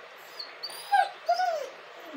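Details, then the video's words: Crying dog giving two short whines in quick succession, the first sharp and slightly rising, the second longer and sliding downward, against a quiet background. "dog crying and hurling!"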